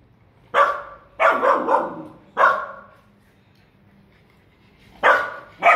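A Siberian Husky gives a series of loud, harsh barks with short pauses between them.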